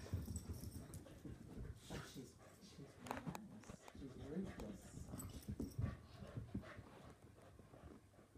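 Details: Adult wheaten terrier and puppy wrestling in a play fight: gruff low growls and snuffling rise and fall in bursts, with scrabbling clicks from claws and a human voice in the background.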